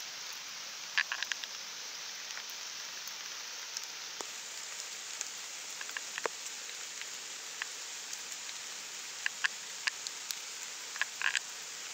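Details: Steady rain hisses throughout, with scattered sharper drops tapping on a surface and no animal calls.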